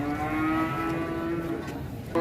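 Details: Angry cattle getting off a truck in Indonesia, one animal's horn coming off. A long, steady, low moo with rich harmonics is held for about two seconds over a background rumble.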